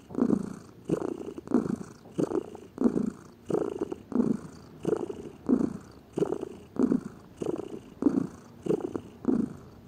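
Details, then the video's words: Purring of a lazy domestic cat: soft, low vibrating pulses repeating evenly about every 0.65 seconds, alternating slightly between inhale and exhale, quiet room. "Gato Ronronando, Som de Gato, Ronronar de gatos"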